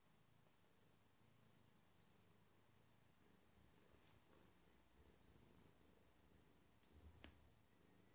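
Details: A Scottish Fold cat relaxing and stretching purrs softly, a low steady rumble close to the listener.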